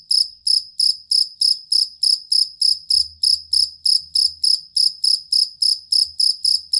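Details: Jangkrik kalung fighting cricket chirping in a long, stable, evenly paced run of bright pulses, about three per second, used as a tutor sound for contest songbirds.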